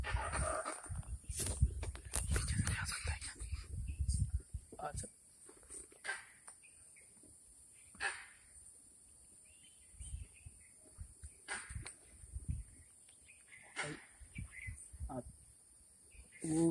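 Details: Monkey sitting at the top of a jungle tree gives harsh, abrupt alarm barks every couple of seconds, alerting other animals to a tiger or leopard.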